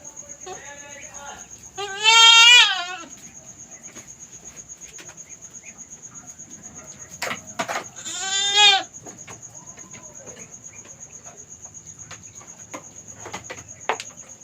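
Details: Young domestic female goat in labour for the first time, struggling to give birth in a backyard, giving two loud quavering bleats about six seconds apart, with soft clicks, a constant high tone and quiet speech.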